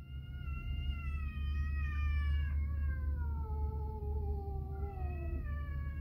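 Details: Two pet cats meowing to each other indoors while food is being prepared: one long, drawn-out meow that slides slowly downward for several seconds, then a brief rising call near the end, over a steady low hum.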